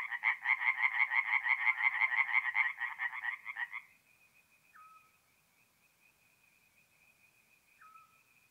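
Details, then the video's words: A tree frog's fast series of raspy croaks at a night-time forest pond in north-east Italy in April, lasting about four seconds and then stopping, leaving near silence with a faint thin tone and two soft short calls. "relaxing forest pond by night with singing tree frogs"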